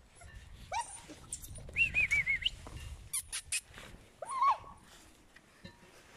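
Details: Eight-week-old puppies from Scarlett's litter giving thin, high squeaky whines and yips, some rising then wavering, in short bursts with quiet gaps and faint background rustling.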